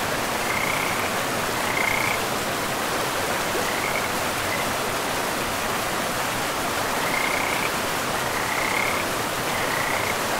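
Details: Frogs by a river in a pristine forest give short, separate chirping trills every second or two, each a brief bright burst slightly rising in pitch, set against a loud, even wash of flowing water.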